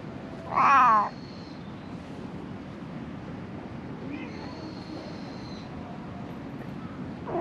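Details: Stray cat struggling to survive among discarded rubbish gives one loud, clear meow lasting about half a second near the start. Then a low, steady background hum with faint high thin tones follows, and a short call begins at the very end.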